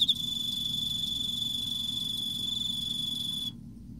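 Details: Emma field cricket singing in autumn: a few quick pulses at the start lead into an unbroken high, pure-toned trill lasting about three and a half seconds before it stops abruptly.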